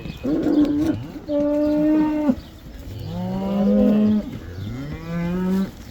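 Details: Dutch cattle returning to the pasture, the cow dance; four drawn-out moos about a second each, alternating higher steady calls and lower ones that slide up at the start, separated by brief pauses.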